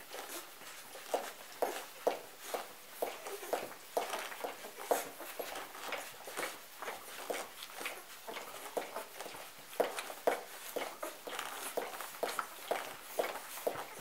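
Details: Hungry golden retriever puppies nursing from their mother Betsy after a morning nap, once she returns from a break outside in the pen; soft wet clicks and smacks repeat about twice a second, with faint brief squeaks and rustling.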